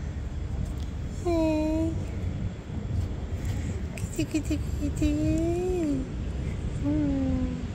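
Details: Hungry cats of various colors gathered in a cat yard, waiting to be fed. Several drawn-out, tonal meows rise briefly and fall at the end, spaced a couple of seconds apart, over a constant low rumble and some scattered clicks.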